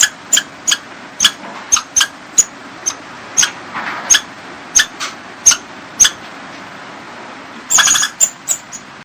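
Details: Squirrel giving sharp, high clicking chips at uneven intervals of roughly half a second, with a denser, louder cluster near the end and a faint hiss underneath.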